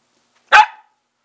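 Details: A single sharp bark from a pet dog playing with a pair of old shoes indoors, short and loud, in otherwise quiet surroundings.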